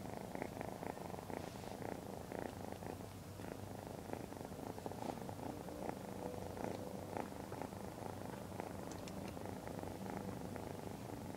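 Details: Lavender, a Point Lilac Bicolor Ragdoll kitten aged 12 weeks, purrs at length after arriving at her new home. The purr is a steady pulsing rumble, rising and falling in even breaths with light rustles.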